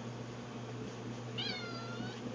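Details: Domestic cat meowing for food in a dim pantry beside the food bowls; a single short, high falling meow near the middle, over a steady low hum with a person's voice around it.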